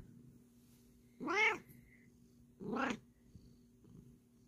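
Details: A Bengal cat at bedtime, kneading and slow-blinking, gives two drawn-out, rising-then-falling meows about a second apart over a low hum.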